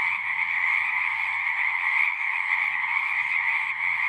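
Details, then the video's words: Frogs singing together at a pond in a horse pasture, captured on a Zoom recorder; many overlapping croaks merge into a continuous buzzy, even drone that never stops, with only faint low rumble beneath. "Frogs singing"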